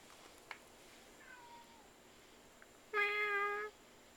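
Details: An unfamiliar neighborhood cat visiting gives one clear, harmonic meow lasting under a second, held fairly level before fading, after a very faint, short falling mew; otherwise a quiet room with a soft background hum and a few small clicks.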